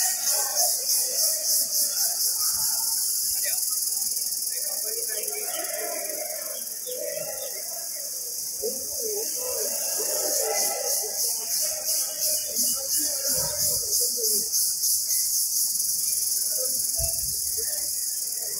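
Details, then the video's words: Indian cicada calling in the jungle: a dense, shrill high-pitched buzz pulsing roughly three times a second throughout, with faint lower chirps and murmurs underneath. "Noise of Indian cicada in jungle"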